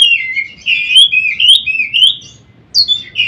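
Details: White-rumped shama singing, used as daily mastering to get other shamas to sing well: rich warbled whistles, slurred up and down with sharp high notes interspersed, brief pause before resuming.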